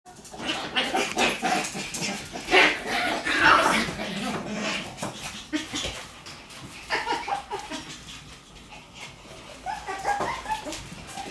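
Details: Shiba Inu puppies playing energetically: irregular short yips and whiny, growly bursts, loudest between two and four seconds, mixed with scuffling and thumping from the play, with quieter vocal bursts returning near the end.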